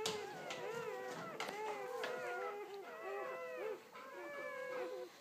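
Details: One-day-old Belgian Malinois pups from a seven-puppy litter, five males and two females, born 29 October 2014, crying in a dense chorus of high, wavering whimpers that overlap continuously with short squeaky notes.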